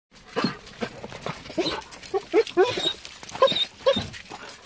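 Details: A Weimaraner named Diesel, excited to see its owner come home after four days away, whines in short, high, wavering bursts, with people talking nearby.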